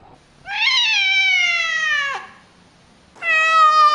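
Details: Two long, steady meows from a domestic cat in a compilation of cute, funny cats, the first slowly falling at its end, separated by a short pause indoors.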